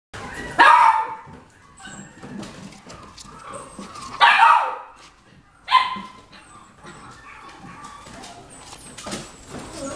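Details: Golden Retriever giving three loud, sharp single barks spaced irregularly over ten seconds, with quieter rustling and low household noise between them.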